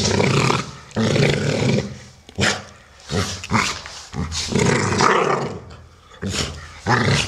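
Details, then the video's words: Solo, a brown male Amstaff of 12 years, and Shaya, a grey 1-year-8-month female, in boisterous play: deep snarling growls and roaring rumbles, loud and nearly continuous, broken by a few short pauses. "American Staffordshire Terrier (Amstaffs playing)"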